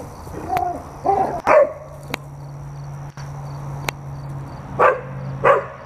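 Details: Two red standard poodles, Cayenne and Clifford, playing ball together indoors: five short, sharp yipping barks, the first three in quick succession, then a pause before two more spaced half a second apart, over a steady low hum.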